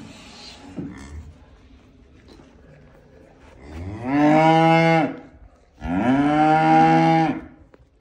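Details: Calves mooing: two loud, drawn-out, harmonically rich moos, each lasting over a second with a steady pitch, separated by a short pause, after a quiet start with faint background noises.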